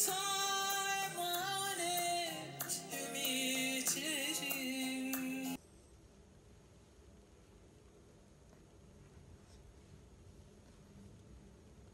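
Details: Female a cappella singing for about five seconds, then an abrupt drop to a quiet indoor room with only faint hiss.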